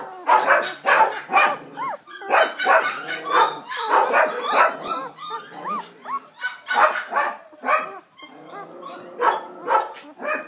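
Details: Male Border Collie puppy, offered as a Three Kings' Day gift, barking in rapid bursts mixed with high, arching yips and squeaky whines, near-continuous for ten seconds.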